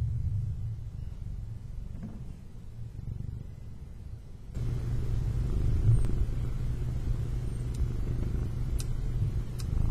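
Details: A male domestic cat purring: a low, steady rumbling drone with a pulsing texture that swells louder midway, with a few faint clicks over the top.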